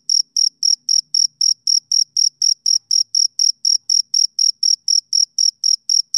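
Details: Summer-evening male cricket: loud, shrill chirps pulse steadily a little over three times per second, clean and evenly spaced against silence.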